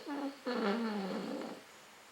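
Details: An American Cocker Spaniel snoring while asleep indoors: two drawn-out, nasal, whistle-like tones, a short one and then a longer one that slides gently downward and fades over about a second.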